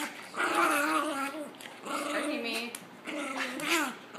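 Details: Indoor pet dog objecting to witnessing abuse: three wavering, tonal whine-howls, each about a second long with sliding, bending pitch, separated by brief pauses in a small room.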